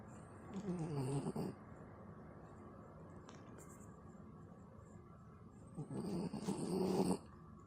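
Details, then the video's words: Pet dog Chobi, a Corgi and Pekingese cross, gives low snoring grunts while its head is scratched: a rasping, wavering burst near the start, a quiet gap, then a longer rumbling grunt before a sudden stop. "頭をこりこりするといびきみたいな声を出すちょび 【コーギー×ペキニーズ】"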